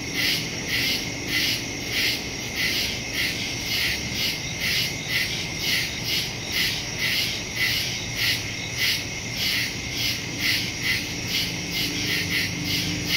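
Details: Woodland crickets at night, September 2, 2023, Samsung Galaxy S22 Ultra with Shure MV88+ stereo microphone; shrill pulsed chirps beat steadily near twice a second above a continuous high ringing drone.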